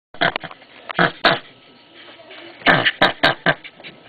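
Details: Captive common brushtail possum kept outdoors in a temperate mountain climate, highly verbal when disturbed: harsh, rasping broadband screeches in short bursts, a cluster of three early on, then a pause and a rapid series of five or six more.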